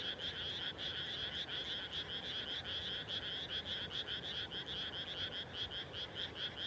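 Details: Dusk chorus of frogs in freshly planted rice fields in the Japanese countryside: fast, rattling pulsed croaks, many callers overlapping in a continuous rhythmic throb with faint low rumble beneath.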